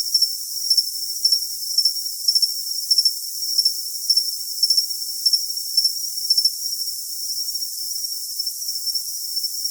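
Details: Cricket chirping in bright, high-pitched pulses, short bursts repeating roughly every half second over a steady shrill ringing tone, with faint lower pulses in between; the low range is filtered away, leaving only a thin hiss.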